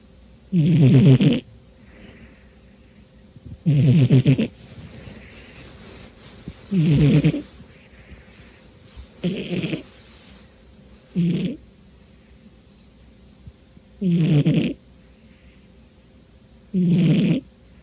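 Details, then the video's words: Domestic cat deep asleep on a dark New Year's Day afternoon, very tired, snoring loudly: seven low, raspy, rattling snores, each about a second long, spaced roughly every two and a half to three seconds, quiet room between. "Snoring Kitty Cat"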